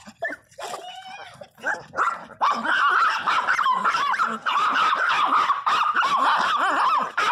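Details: Pinscher named Teco crying very loudly among jealous housemate dogs: a few separate yelps, then a continuous stream of high bending whines and squeals pulsing about three times a second.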